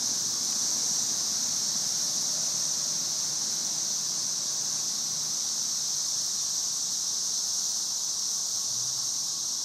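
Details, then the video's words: Standing under a tree during the May 2011 cicada invasion, the chorus of thousands forms a steady, high sizzling hiss, slightly softer, with occasional faint low sounds below. "Cicada "Music" May 2011"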